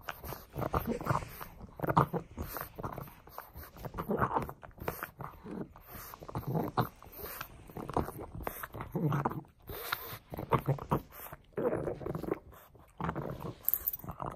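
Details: A pug called Frank busy with a bone: a long run of short grunting growls and snorts mixed with gnawing and mouthing noises, uneven rhythm throughout.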